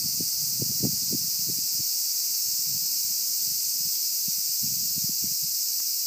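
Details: Summer 2015 cicada chorus, a continuous shrill hiss-like drone filling the upper range without pause, with scattered soft low knocks and rustles in the first seconds and again near the end.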